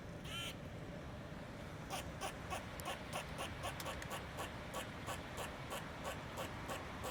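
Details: A squirrel on a chimney gives a fast run of harsh, clipped chips, about three each second.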